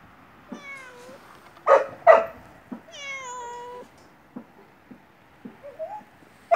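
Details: Yellow stray cat begging for food in front of a house. Two clear, falling meows are separated by sharp clicks and knocks, then a short, faint upward mew near the end.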